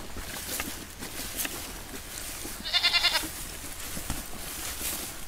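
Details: Goats eating grass: a brief, strong, quavering bleat in mid-clip stands out over continuous crisp clicks and rustling from grazing.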